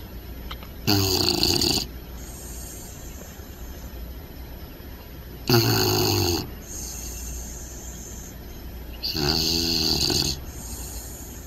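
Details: Loud puppy snores while sleeping: three harsh, rattling inhalations each lasting about a second, spaced four to five seconds apart, with faint whistly exhales between them.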